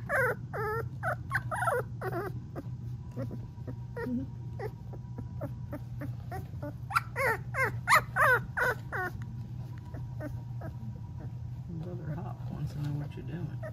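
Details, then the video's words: Golden Retriever puppy, three weeks old, yips in quick bursts of short high squeaks, several per second, then trailing off into softer whimpers over a constant low background hum. "Puppy Trills, The Cutest You'll Ever Hear!"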